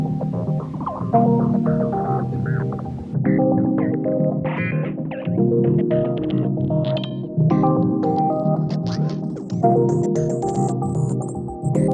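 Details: Plucked guitar and bass music with a throbbing beat plays throughout, no animal sounds heard.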